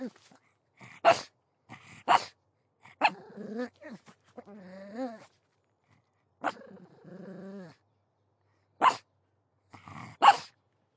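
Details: Pug dog giving scattered sharp barks mixed with long wavering whining growls, quiet gaps between the outbursts.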